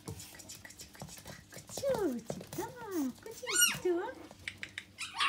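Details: Red smooth Brussels Griffon puppies indoors give a run of high, arching whimpers and yelps, several curving up then down, with one sharp rising squeal in the middle; faint rustling and background murmur between calls.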